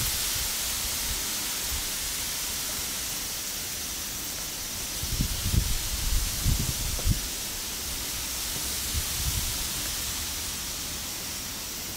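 Steady outdoor hiss with a few low thumps and rustles, and no animal calls.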